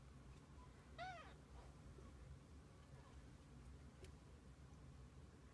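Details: A single short arched meow from kittens kept with their mother cat, heard about one second in against a constant low background hum.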